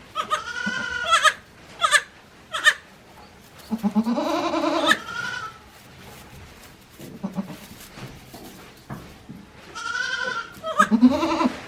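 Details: Goat kids one day old, filmed 17 April 2024 on a small handmade goat farm in Japan, calling in a series of shaky, tremulous bleats, some short and some drawn out, amid clicks and movement noise.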